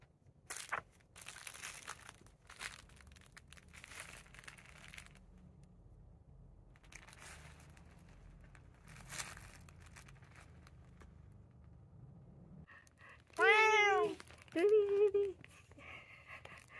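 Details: Indoor domestic cats, a black cat named Kuu trying again and again to get a brown tabby named Choco, who does not want to move, to play. A long stretch of crinkling and rustling, then two loud, arching meows near the end.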